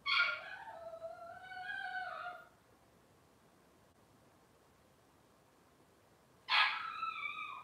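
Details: Cavalier King Charles Spaniel puppies, Robin's litter on a livestream: one long, wavering cry that drops in pitch over two seconds, a long silence, then another sharp cry starting.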